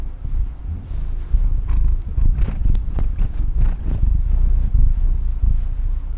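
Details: Domestic female cat purring: a steady low rumble swelling and fading in breath-paced pulses, with a few brief higher clicks and rustles over it.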